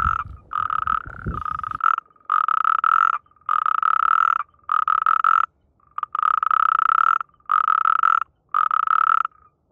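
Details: Croaking natterjack toad in the mating season, amplexus noted. Loud, even, rattling trills about a second long repeat with brief pauses, each a rapid pulsed burr at constant pitch; early low rumble fades.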